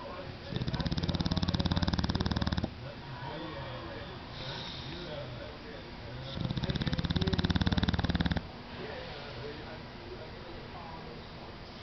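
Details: An English Bulldog snores like a little diesel engine, in loud, deep, rattling bursts each lasting about two seconds.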